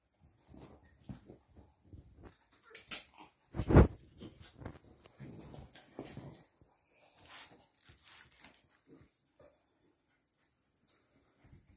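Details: A dachshund from a rescue, waiting for a home, snuffles and grunts in short, low bursts, with one louder snort partway through.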